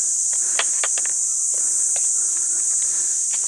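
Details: Crickets around a forest spot where an old man lives, calling without stopping: a continuous high, steady insect trill dominates, with scattered faint clicks and footstep-like taps beneath.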